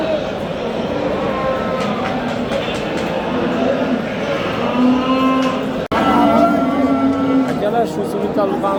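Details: Simmental bulls at the Qurg'onbek district animal market, Qorasuv, Uzbekistan, offered for sale: two low, flat moos late in the recording, buried in loud continuous crowd talk, voices and a brief dropout.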